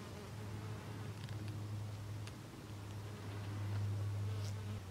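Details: Common wasp (Vespula vulgaris) observed in nature, giving a steady low droning buzz that holds one deep tone throughout. It swells slightly louder near the end, with faint clicks and light background hiss.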